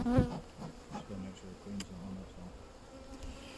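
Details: Honey bees in a hive being inspected on 31 May 2025 hum in a low, steady, slightly wavering drone, with soft knocks and handling sounds of frames being moved.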